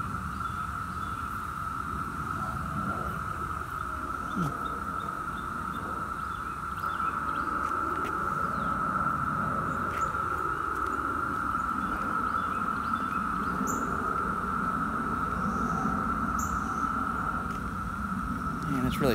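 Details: Brood X periodical cicadas, the 17-year brood last present in 2004, in Virginia in 2021: a dense, steady droning chorus at one unbroken mid pitch, slightly swelling midway, with faint rustling and scattered clicks underneath.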